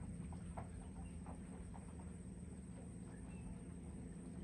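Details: A chorus of cicadas sings high in trees along Sydenham Lake's north shore, a continuous high buzzing drone, on a calm, humid (25°C, 90%), semi-overcast morning, 3 August 2024, around 9–10 am; wind, footsteps, faint calls underneath.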